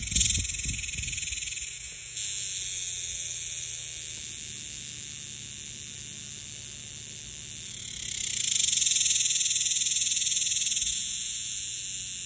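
A cicada's steady, high-pitched electric buzz drones on, swelling louder for a few seconds near the end.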